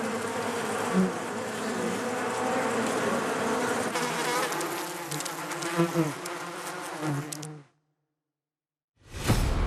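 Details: Honey bees droning in a full, layered hum with a few brief louder bursts, then the buzzing cuts off into silence before a short loud noise at the very end.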